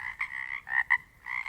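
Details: Pacific Northwest chorus of Pacific chorus frogs, individual frogs distinguishable: a sustained raspy trill, then two short loud croaks close together, before the steady buzzing chorus resumes.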